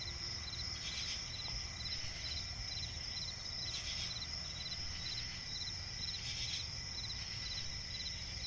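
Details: Night forest swamp ambience dominated by crickets, a continuous shrill chorus with fast repeated pulse groups and stronger bursts roughly every two and a half seconds, low rumbling noise underneath.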